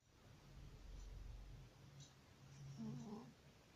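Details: Sleeping cat snoring like a man: a soft, low rasping breath swells and fades over about a second, followed by quieter rumbling and a few brief higher tonal sounds near the end.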